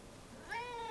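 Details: A domestic cat gives a single meow that starts abruptly and holds steady, a clear tonal call rich in harmonics lasting about half a second, with a faint rising onset, over quiet background hiss.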